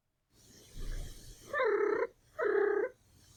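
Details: A domestic cat gives two short, tonal chirrups, one more level and one rising in pitch, a friendly trill subtype often used as a greeting.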